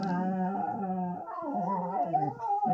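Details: Stewie and Gracie, two lazy pups in bed on a Sunday morning, chatting: drawn-out, whiny, howl-like tones that hold steady, then dip and waver in a sliding, talkative pattern, indoors in a small room.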